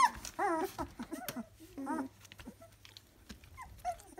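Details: Three-week-old Dalmatian puppies giving short whining whimpers with rising and falling tones, several overlapping in bursts, quieter squeaks toward the end, low hum in the background indoors.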